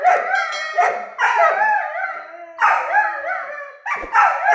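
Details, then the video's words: Weimaraner puppies Mika and Nara, both nine months old, quarrelling: bursts of wavering, moaning howls and whiny yelps in quick back-and-forth, each burst about a second long. "Weimaraner Puppy Argument About..."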